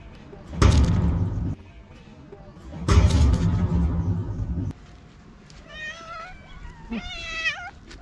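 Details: Hungry feral cats and kittens on a sidewalk meowing loudly for food: two loud rumbling bursts of noise come first, then two clear, harmonic meows near the end, the second rising and wavering.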